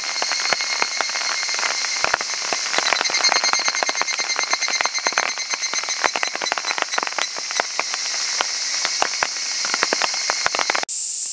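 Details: Cicada in Ibaraki Prefecture, Japan, giving a loud, high, rasping call made of fast irregular pulses over a ringing shrill band, continuing for about eleven seconds before an abrupt cut.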